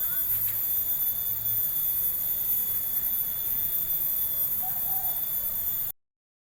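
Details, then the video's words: Insect chorus heard while walking through a village: steady, piercing high-pitched tones held without a break, over low rustling noise, a couple of brief faint chirps, then sudden silence. "Take A Walk To Hear The Insect Sound"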